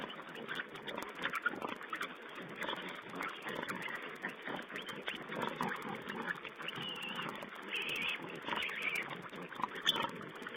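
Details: Wild boar piglets feeding, captured by a live webcam on 16 April 2010: a dense, continuous mix of short rough grunts, snuffles and occasional thin squeals overlapping throughout, with muffled, narrow-band stream quality.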